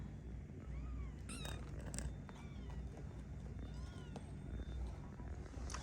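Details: House cat meowing repeatedly in short arched calls, several overlapping, with a woman's voice calling and low constant background hum.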